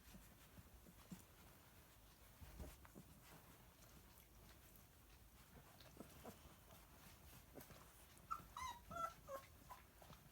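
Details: Fourteen-day-old Spanish greyhound (galgo) puppies; mostly low rumble and soft clicks, then near the end a short run of thin, high whimpering squeaks, several in quick succession over about a second.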